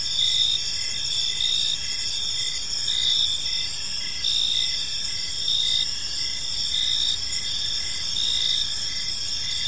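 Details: In a park at evening, crickets give a continuous high-pitched chorus, short chirps repeating roughly every second over steady trilling from other insects.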